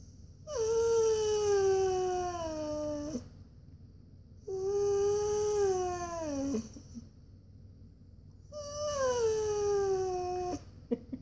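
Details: Pet Siberian Husky indoors whining because he wants to go for a walk: three long, drawn-out tonal whines, each about two and a half seconds, starting higher and sliding gently downward, separated by short pauses.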